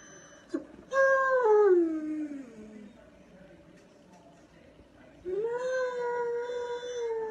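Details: Dog howling in two long drawn-out cries, the first sliding steadily downward in pitch, the second rising then holding level, with a quiet gap between them.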